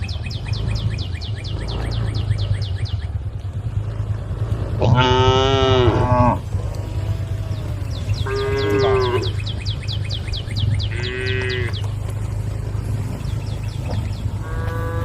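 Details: Several tame cows, all female, standing on a road and calling the herd: spaced bursts of harmonic mooing, one loud and bending near five seconds, then shorter moos, all above a continuous low drone and trains of high rapid chirps.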